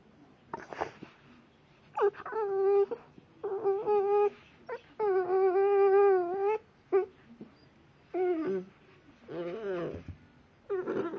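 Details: A blue Staffordshire bull terrier puppy makes odd noises: drawn-out, tonal whines that waver up and down in pitch.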